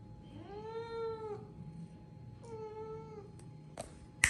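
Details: Cat meowing while wanting crunchy biscuits; two drawn-out harmonic meows, the first longer and slightly rising then falling, the second flatter and shorter, followed by clattering knocks at the end.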